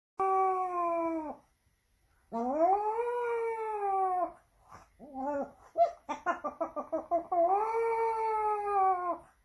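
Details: Pomeranian in Saint Petersburg, Russia, September 2021, howling dramatically to attract attention: two long, steady, tonal howls with rich harmonics, separated by a burst of short, rapid yips and whimpers.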